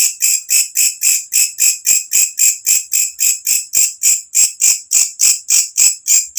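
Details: Loud night-time call of a walang kecek katydid in its natural setting, kept as tutor sound for cage birds: evenly spaced shrill rasping chirps, roughly three to four each second, continuing unbroken.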